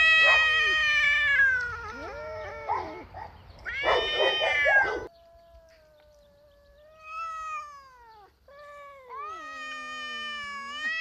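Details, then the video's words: Two domestic cats, a ginger tom visiting a female and a black tom, yowling at each other in a spring confrontation on 27 March; loud, harmonic wavering wails, then long drawn-out rising and falling howls like a crying baby. "Marcowe miauczenie kotów"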